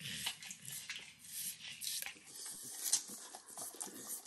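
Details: Max, a nine-year-old Pit Bull, licks and nibbles overcooked bacon as a treat indoors in a kitchen: close, wet smacking clicks and slurps in quick irregular bursts, with faint room and kitchen background noise.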